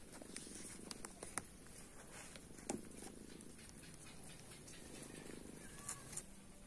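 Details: Cat purring quietly while stray cats and kittens are tamed with wet food and the help of friendly tamed cats; a low, steady rumble swells and fades in slow waves, with scattered faint clicks and taps.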